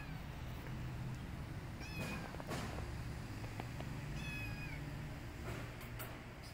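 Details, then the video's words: Rescued street kittens, choosy about their food, meowing while eating: a few thin, high-pitched mewing calls with rising-falling harmonics, spaced a couple of seconds apart, over a steady low hum and scattered clicks. "Adorable Street Kittens Are Rescued They're Very Choosey In Eating"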